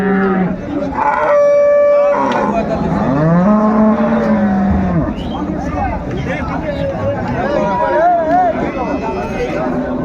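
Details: Cows and calves at Ambari market in Dinajpur, 21 March 2025: two clear, deep, drawn-out moos in the first five seconds, the second rising then falling, followed by busy bargaining voices and market bustle.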